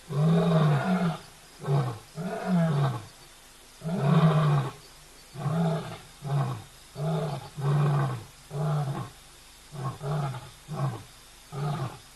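A lion gives a bout of deep, resonant roaring, each burst a heavy moaning grunt. The calls come in a steady run, slightly shorter and quicker toward the end, with quiet gaps between.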